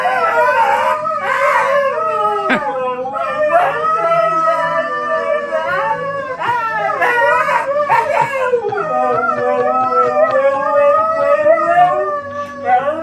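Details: Two pet dogs howling along to the M*A*S*H theme music, as they do whenever it plays: long wavering tonal howls overlapping, rising and falling, with the tune playing underneath and a brief exclamation from a person.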